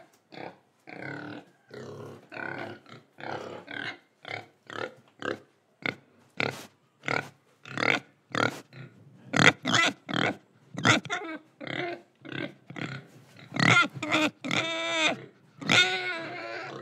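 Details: Pig grunting and oinking in Indonesia, with breathing and eating sounds: a rapid series of short, harsh, broadband grunts, some squealing and tonal toward the end.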